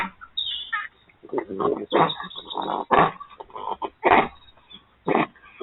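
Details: Wild urban red fox vixen and her youngest cub talking to each other: a run of short, rough, harmonic yelps and grunting chatters in uneven bursts, several loud clipped calls spaced about a second apart, quiet gaps between.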